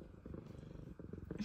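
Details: F2 Savannah cats welcoming their owner home from work indoors; steady low pulsing purr throughout, with a faint chirp near the end.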